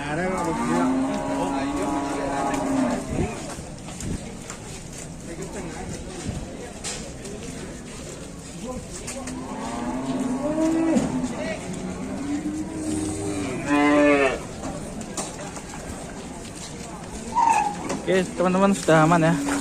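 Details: Enraged cows from a compilation of frightening cattle outbursts: repeated drawn-out bellowing moos in bursts, some rising to a strained, wavering peak, separated by noisy pauses with rustling and occasional voices.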